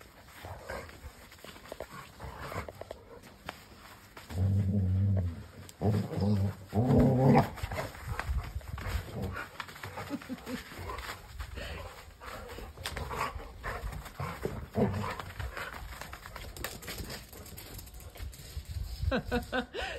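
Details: Mother and daughter Labradors playing together in a garden in Varna, Bulgaria, recorded in slow motion; low, drawn-out harmonic growling swells in the middle, surrounded by scuffling, rustling and soft thuds of play.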